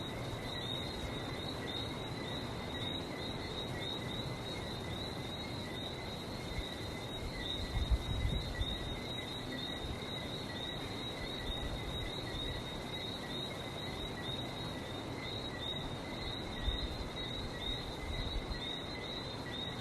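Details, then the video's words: Barbados frogs keep up an unbroken chorus of shrill, chirping whistles stacked in two pitches, with faint ticking above and a constant low background roar that swells briefly midway. "Relaxing sounds of #Barbados #frog"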